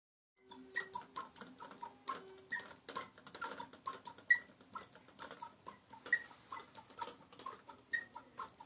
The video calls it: Chirping dolphins